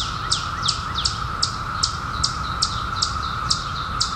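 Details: Steady mass buzz of periodical cicadas that emerged in 2021 from a 17-year hiding, with a bird close by repeating bright, downward-slurred chirps roughly every half second.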